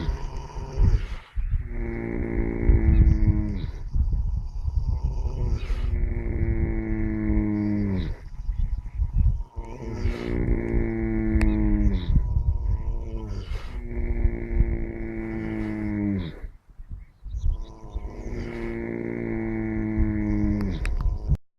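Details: Sleeping horse snoring loudly: deep, drawn-out groaning tones, each sliding downward in pitch over two to three seconds, repeating about every four seconds with breathy rasps between them.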